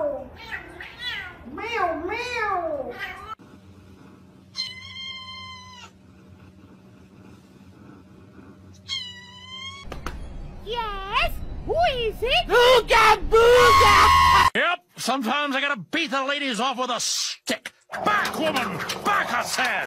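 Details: Domestic cat meowing indoors: a series of rising-and-falling meows, a pause with steady flat tonal sounds, then a dense burst of loud, overlapping meows and caterwauls with some clattering noise.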